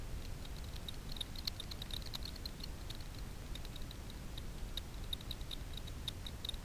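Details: Daubenton's bats hunting insects on the water surface over Miedwie lake in north-west Poland at night, captured through a frequency division ultrasound bat detector: rapid trains of short dry ticks and clicks, irregularly bunched, over a steady low rumble.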